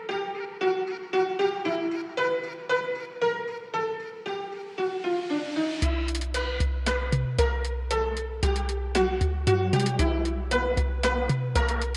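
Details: Bowed and plucked string music plays throughout, with a deep bass line entering halfway, and no animal sound.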